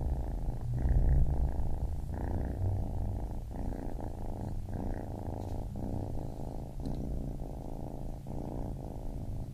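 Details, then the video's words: Baby kitten purring, a low rumbling purr broken into breath phases about every second, steady and close. "Baby Kitten Purring"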